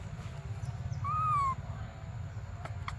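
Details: Desperate for milk, baby monkey Briar lets out a single clear, wavering cry that rises slightly and then slides down, about half a second long, against low background rumble.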